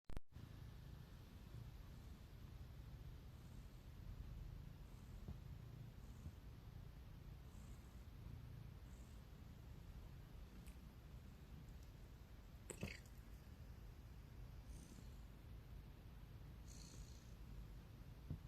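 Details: Domestic cat yawning and purring: a soft, low, continuous rumble that pulses gently throughout, very quiet and close, with a faint click partway through.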